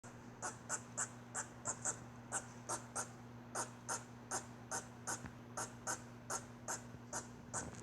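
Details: Squirrel making a weird noise: a steady train of short, sharp, hissing chucks, roughly two or three each second with uneven spacing, over a constant low electrical hum.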